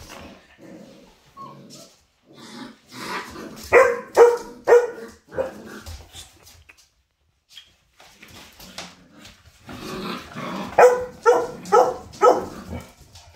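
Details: Mother Labrador dog disciplining her five-week-old puppies as they play and fight indoors; a run of short, sharp repeated barks and growly yelps in two bursts, with softer whines and rustling between them.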